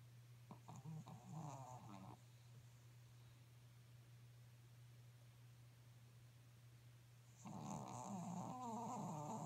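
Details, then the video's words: Sleeping Pekingese dog snoring in a small room: a two-second rough, buzzing snore, a few seconds of quiet breathing, then a louder drawn-out snore, over a constant low hum. "Pekingese snores （ペキニーズのいびき）"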